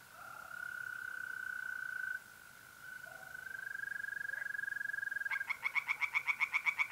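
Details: An April night by a pond in north-east Italy: a steady, buzzing mole cricket trill carries on for five seconds before a tree frog breaks in with a quick series of loud, regular, rasping croaks.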